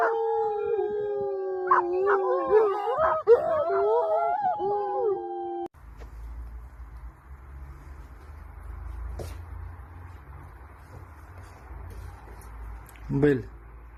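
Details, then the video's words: A wolf chorus of wavering overlapping howls and yelps fills the first five seconds, then gives way to a low rumbling background with one brief faint howl near the end. "THE SOUND OF HOWLING WOLVES"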